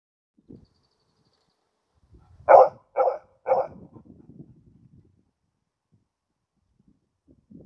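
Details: Male Karelian Bear Dog, June 2016, outdoors and focused on other animals in surrounding nature, gives three short loud barks in quick succession near the middle, with faint rustling before and after.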